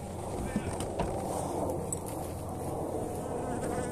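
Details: Honey bees being fed energy cakes on 29 January in very pleasant weather; a dense, steady hum from many bees runs low and continuous for all four seconds, with a couple of soft knocks.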